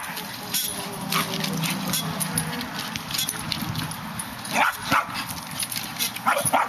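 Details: West Highland White Terrier trying to reach a squirrel up a tree gives a couple of sharp, high yelping barks near the end, over a steady hiss of background noise.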